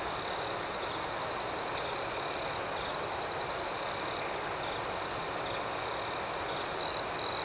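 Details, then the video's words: Crickets at night produce a steady high-pitched trill with a softer rhythmic pulsing above it, then a pair of louder, clipped chirps closes the clip. "Soothing Cricket Sounds"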